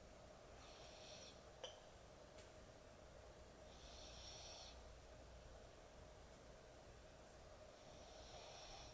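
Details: Sleeping dog snoring heavily, with breathy, hissing snores that come about every three to four seconds over a constant low room hum and one brief click.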